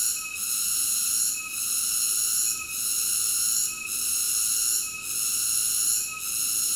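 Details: Cicada song: a steady, high, buzzy drone stacked with bright tonal bands, dipping briefly about every 1.2 seconds in a regular pulsing rhythm, with no other sounds.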